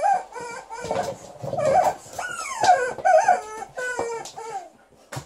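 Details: Alaskan Malamute Liza, angry at her new chicken toy, gives long moaning, howl-like vocal sounds that swoop up and down, some sliding steeply downward, with short breaks and a few clicks between them.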